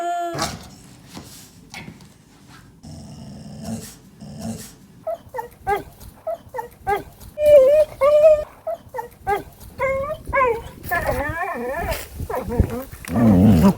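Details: Pet dog vocalising in a series of short mid-pitched whines and yips, some wavering up and down, building into longer warbling, moaning grumbles near the end, with low rumbly breaths between sounds.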